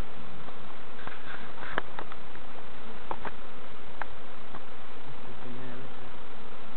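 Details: Massed honey bee buzzing, a thick unbroken hum, heard during a novice hive check at Summerwood Lane Allotments and Community Garden, with sharp clicks and taps from the frames and a short murmur of speech.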